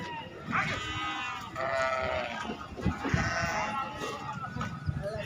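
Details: Sheep at Atpadi's goat and sheep market on 15 July 2024: a string of tremulous bleats, some overlapping, from animals in a noisy crowd, with voices and scuffling throughout.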